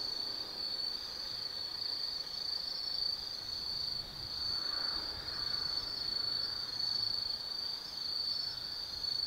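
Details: Insects of an autumn night at Tsukimi no Mori, Gifu Prefecture, Japan, overlooking the Nobi Plain: a constant piercing trill that rises and dips gently in volume, with a faint lower murmur midway.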